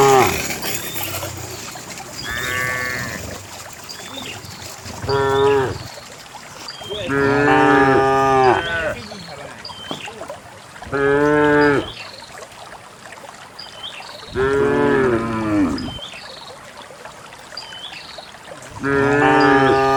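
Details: Several cows in a herd of dozens moving calmly downhill into a green valley, overlapping moos of varied length, some rising then falling, over a constant background hiss and rustle.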